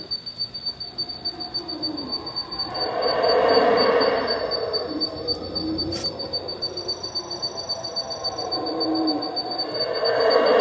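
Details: Night chorus of howler monkeys near Palenque, Mexico, cries that cut short the travellers' sleep; waves of hoarse roaring build, peak around the middle and surge again at the end, over a steady pulsing insect trill.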